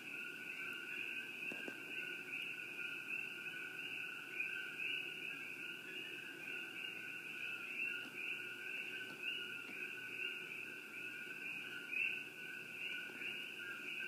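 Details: Many coqui frogs near Shakti-Shiva Palace form a constant high-pitched chorus, overlapping chirps blending into a ringing wall of sound over soft low background hum.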